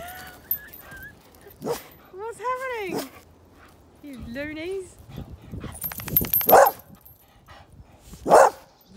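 Excited English bull terriers make arching, whine-like calls that swoop up and down, broken by sharp barks and yelps. A person talks in the background throughout.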